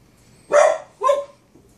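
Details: Two quick barks from a Boston Terrier aimed at his brother: a loud, harsh first bark and a slightly weaker follow-up about half a second after, with near silence around them.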